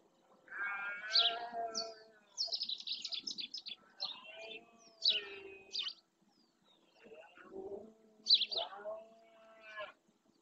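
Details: Rutting red deer males in the Doñana marsh, Spain, bellowing to claim territory: several hoarse, drawn-out groaning roars spread across the stretch, mixed with bursts of high, rapid chirping from small birds.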